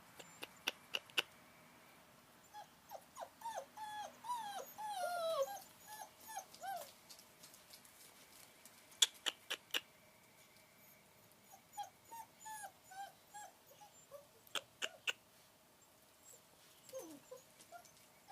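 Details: Long Coat German Shepherd puppies playing in the raindrops: thin, high whimpers and short yips come in scattered bursts, some sliding downward, with sharp clicking taps throughout.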